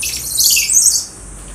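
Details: Caged common squirrel monkey at Neo Park Okinawa, one of a group that climbs the fence in a noisy uproar when its keeper appears. It gives one shrill, very high squealing shriek that lasts about a second and wavers and slides.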